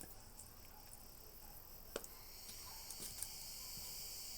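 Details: Cricket chirping in a yard: a faint, steady, high-pitched trill held as even bands, with a few sharp clicks scattered through the background.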